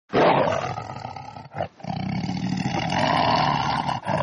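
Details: Lion (Panthera leo), roar.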